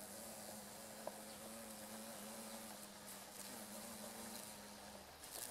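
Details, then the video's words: Two female carpenter bees (Xylocopa appendiculata circumvolans) buzz-pollinating meadow-rue flowers beside a railway near rice fields in Japan, mid-August 2013. A steady low droning hum with a fainter overtone runs nearly five seconds, with one brief click and a constant high insect hiss behind. "Buzz Pollination by Carpenter Bee クマバチ♀がアキカラマツの花で振動集粉"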